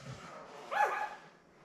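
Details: Newborn Labrador Retriever puppy, one of seven born May 24, 2021 to mother Belle, on a live puppy cam: a single short squeal that rises sharply, then slides down, over a soft steady hiss.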